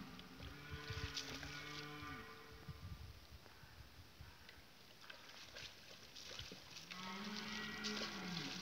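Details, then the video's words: Red deer during the rut, 2018, recorded with a Canon 7D: a long, drawn-out tonal moan with stacked harmonics lasting about two seconds, noisy rustling in between, then a second rising bellow begins near the end. "Bram du cerf"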